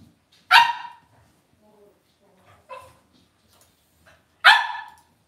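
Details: Cavalier King Charles Spaniel puppies in an indoor puppy pen at home: three sharp, high yapping barks, two loud and one softer between them, spaced about two seconds apart, with faint soft whines in the quiet gaps.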